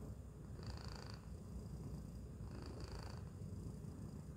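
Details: Tacy, a domestic cat, settled inside a Chewy box, purring in a steady low rumble throughout, with two faint brighter breathy swells partway through; quiet indoor room tone underneath.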